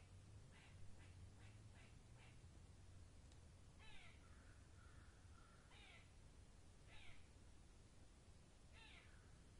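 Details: Forest squirrel calling with rapid, scratchy chatter bursts, then several louder raspy barks spaced about a second or two apart, over constant low ambient hiss.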